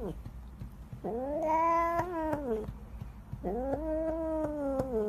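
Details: Domestic cat giving two long, drawn-out, wailing meows, each rising then holding a steady harmonic tone for over a second before falling, with faint thumps and room noise between.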